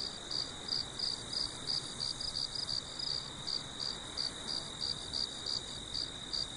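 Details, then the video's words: Short stretch of farm crickets calling at night in full moonlight; sharp, high chirps pulse regularly about three times a second over soft steady noise. "Sons de Grilos na Fazenda à Noite"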